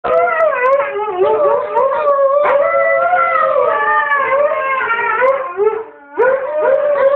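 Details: Wasabi, a Husky, howls together with a boy: overlapping long, wavering howls that slide up and down in pitch, almost unbroken for seven seconds apart from a short dip near the end.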